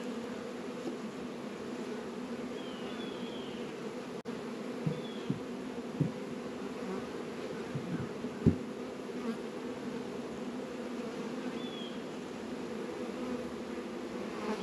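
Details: Honey bees working at an apiary in northern Kentucky on a warm 72-degree February day, with Warré and Langstroth hives. A steady low droning hum holds throughout, with a few faint high chirps and scattered soft knocks.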